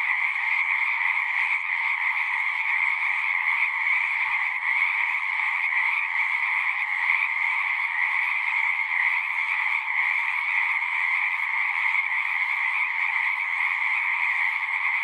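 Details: Pond frogs in a horse pasture singing together, Zoom 6 recording: a thick continuous chorus of high trills pulsing faintly but never pausing, filling the whole stretch.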